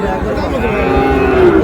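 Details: Sahiwal bull calves at a cattle market, bought by a farmer from Moulvibazar, Bangladesh, on 15 June: a sustained, steady low moo that swells slightly toward its end, heard over the murmur of a crowd of traders.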